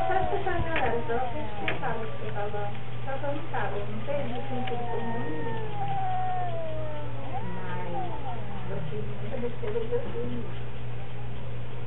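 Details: Cats locked in a strange battle, trading drawn-out warbling yowls that rise and sag, with scattered clicks and knocks and a constant low hum underneath.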